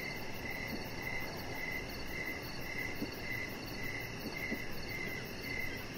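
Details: Crickets outdoors at evening near a deck, a chihuahua puppy lying nearby: high chirps pulse evenly every half second or so, with a few soft low clicks and steady background noise.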